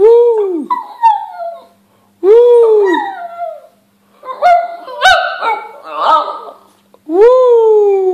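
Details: Shih Tzu singing: arching howls at the start, then a jumbled stretch of yips and wavering cries, possibly with a voice mixed in. A clean rising-then-falling howl returns at the end.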